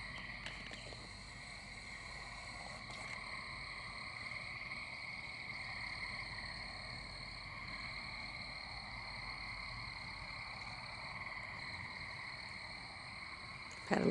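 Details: Gray treefrogs and American toads call in a steady spring-summer night chorus around a house near a pond: a continuous, high, ringing trill that barely changes, with treefrogs calling from echoing nooks.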